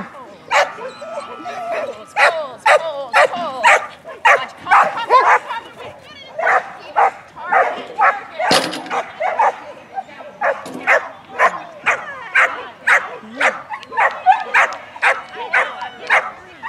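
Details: Female dog barking throughout an agility run in a Masters Standard class, sharp yapping barks fired in rapid bursts about twice a second, with a handler's voice and arena noise mixed in.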